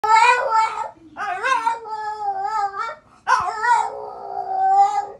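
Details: A French Bulldog in the United States grumbles back while talking to its owner, in drawn-out, wavering, howl-like moans in three separate bursts.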